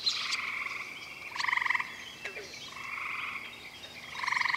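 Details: Gray treefrogs, Hyla versicolor, calling at night at Cool Pond, West Virginia, one male in a willow at the water's edge. Two loud pulsed, musical trills about half a second long, separated by softer trills from other frogs in the chorus.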